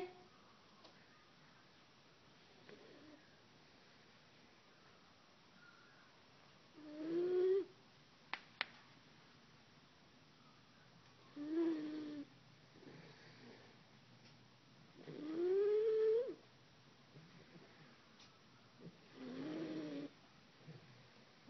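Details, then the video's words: Pet dog Roisin snoring loudly indoors while someone tries to wake her; soft breathy snores with whistling rising squeaks roughly every four seconds, two sharp clicks and a brief spoken word at the end. "Roisin Snoring"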